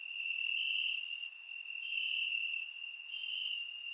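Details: Night chorus of crickets in grass in Bulgaria on a warm summer night: a continuous high-pitched trill pulsing louder and softer roughly every second, plus sparse faint ticks above it.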